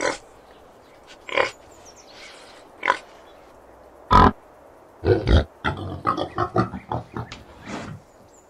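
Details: Boar grunting: a series of short, rough, low grunts, spaced at first and then coming in a quick run of bursts toward the end.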